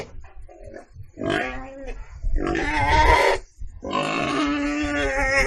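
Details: Pig starting with low, soft grunts that build into loud, harsh squeals, ending in a sustained cry with a rough, wavering quality.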